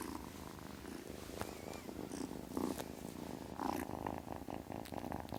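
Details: Purring kitten, a close, rhythmic low rumble rising and falling with each breath, with faint handling noises.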